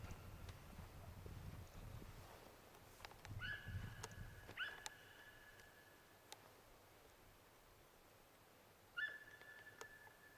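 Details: Deer giving three whistled calls, each rising sharply and then holding a level, high tone. Two come close together early on and a third follows several seconds later. Low rumbling noise and scattered clicks are heard in the background.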